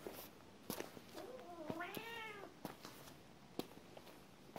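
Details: A cat's drawn-out meow, rising then falling in an arched, harmonic-rich tone lasting about a second, preceded by a soft short call, with scattered clicks and taps around it indoors.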